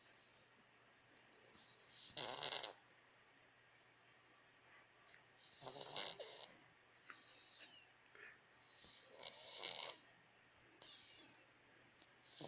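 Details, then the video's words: Domestic cat sleeping soundly and snoring: raspy, hissing breaths arrive in uneven bursts about every one to two seconds, with quiet gaps between them and nothing else audible. "А как храпит ваш кот?"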